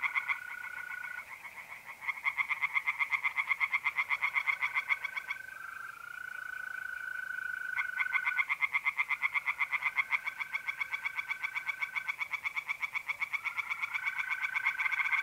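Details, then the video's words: Night pond chorus of tree frogs in north-east Italy, mid-April: dense rapid croaking pulses, roughly four a second, nearly continuous, layered over the steady trilling of mole crickets. "relaxing singing tree frogs in pond and trilling mole crickets by night"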